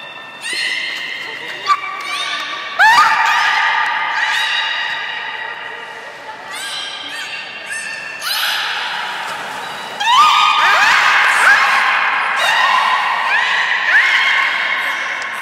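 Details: At Port of Nagoya Public Aquarium in Japan, belugas Gray, Nana and Niko, held in captivity, vocalise during a training session on 1 January 2019. Dense overlapping harmonic squeals and rising, creaky whistles follow one another almost without pause.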